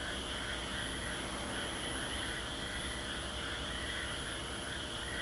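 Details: Continuous chorus of frogs at Aso: thick layered trilling from many callers at once, unbroken throughout, with a faint low rumble underneath.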